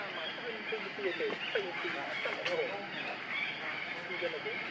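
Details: Refused milk by its mother, baby monkey Lucie gives a string of short, rising-then-falling whimpers, several per second, over a busy outdoor background of hiss and faint chatter.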